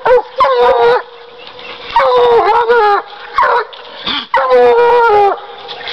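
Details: A Bluetick Coonhound treeing gives long, ringing bays that waver and fall slightly in pitch, three main bursts about a second each with quieter gaps between.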